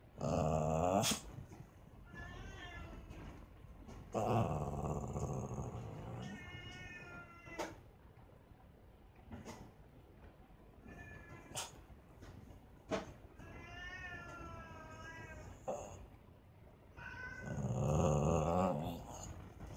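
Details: Cats fighting: long, wavering yowls with shifting rising and falling tones, mixed with low growling. The yowls come in loud bursts near the start, middle and end, with quieter growls and brief sharp knocks between them.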